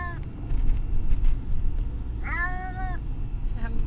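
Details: Car noise dominates as Brutus the Beefcake, a distressed cat en route to the vet, lets out one clear, drawn, slightly falling meow midway, with faint short cries around it.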